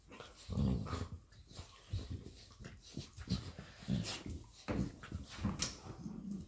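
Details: Labrador Retriever mother and her puppy playing indoors; short low grunting growls and huffs come in bursts about every second, with breathing and light rustling between.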